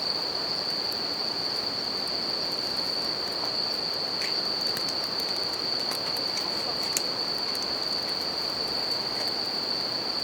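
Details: Sustained shrill trill of bell crickets at a campfire by a river, steady throughout, with light fire crackles and one distinct pop, over a constant hiss of running water.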